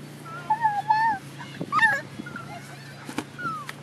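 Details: An English Bulldog puppy with twin babies gives thin, high whimpers that waver and slide downward.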